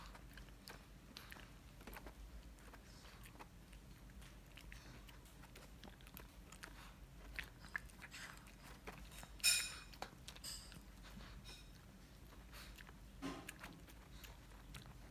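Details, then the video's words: Mylly, a Shih Tzu, munching a dental stick: steady dry crunching clicks through the stretch, with a sharper louder crunch burst about two-thirds through and faint room quiet between bites. "Mylly munching dental stick shih tzu シーズー"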